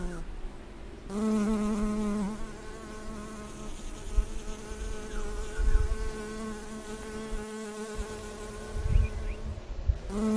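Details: A western honey bee collecting from flowers gives a steady, low buzz, its pitch wavering slightly as it moves.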